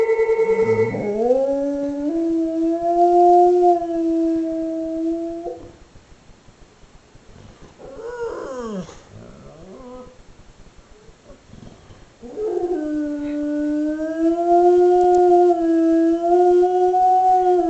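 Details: Pet dog howling in response to a phone that keeps ringing: two long, sustained, slightly wavering howls, the first rising at its start, separated by a quieter stretch of brief whimpering yelps.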